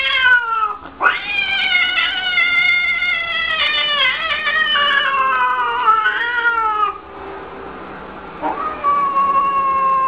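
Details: Yowling house cat, 2014 funny cats compilation: long, loud, drawn-out wails that rise sharply, hold and bend in pitch, then drop into a quieter moan before one more rising yowl.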